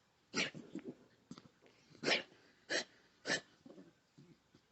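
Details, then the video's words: Pet dog having a random anxiety attack, producing harsh gagging snorts as if about to throw up. A vet says its muzzle affects snoring and breathing. Four loud, rasping bursts sound about half a second apart, mixed with softer snuffling breaths indoors. "Anxiety attack & Snoring"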